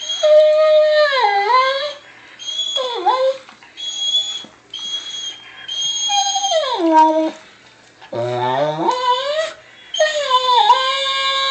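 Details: Weimaraner dog, excited after being provoked a little, howling toward another dog: long wavering harmonic howls that slide downward, separated by short gaps, with a lower rough yelp near the end; brief human voice afterward.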